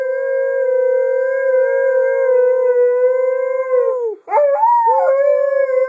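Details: Female pet dog that howls instead of barking, holding one long steady mid-pitched howl for about four seconds, then a brief break and quick yodelling slide back into a steady tone.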